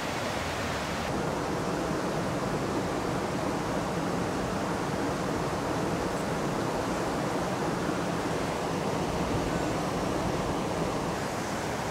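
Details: Steady broadband rushing noise like flowing water or a waterfall fills the whole stretch, with no animal calls standing out.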